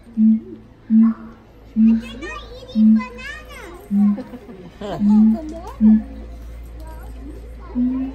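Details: Father and mother siamang duetting at the Los Angeles Zoo, their young one not joining in. Deep hooting booms repeat about once a second, with children's voices and chatter underneath.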